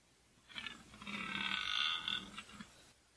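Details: Red deer stag bellowing during the rut in 2014, likely a fourteen-point stag: a sustained, harmonically rich roar of about two seconds, with short grunting onsets before and after, over quiet background.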